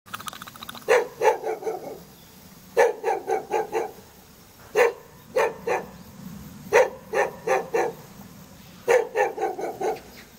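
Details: Jindo dog living in the front yard of a hanok building in Jeonju Hanok Village, North Jeolla Province, Korea, barking in bursts of four to six sharp barks roughly every two seconds, with a faint low hum underneath.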